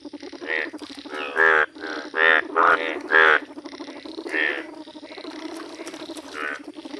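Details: ['Croaking yellow Indian bullfrogs in a village. A burst of loud, nasal, reedy croaks in quick succession around the middle, set against a steady murmur of softer frogs calling behind.']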